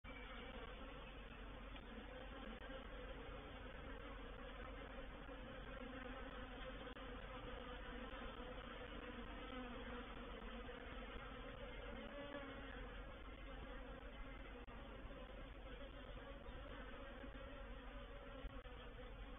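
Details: Reproductive swarm of honey bees moving into a bait hive (swarm trap), recorded 04/07/21: a dense, steady, low droning hum of many wingbeats, unbroken throughout, with layered buzzing tones and no other clear sounds.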